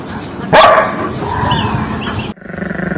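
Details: A single dog bark rises sharply out of a steady background hum, followed by muffled noise.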